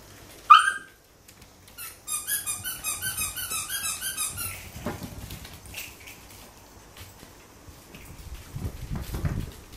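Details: Welsh Corgi puppies gnawing a human finger, filmed 3 August 2013: a sharp yelp opens, then a rapid series of short, high squeaks runs for over two seconds, fading into quiet shuffling and soft mouth noises.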